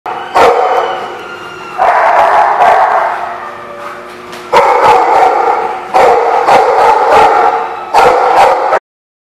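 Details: Dogs barking at The Barking Lot, recorded 8/1/16: loud, harsh, overlapping barks arrive in dense waves of one to two seconds, with short quieter gaps between bursts and a final abrupt stop.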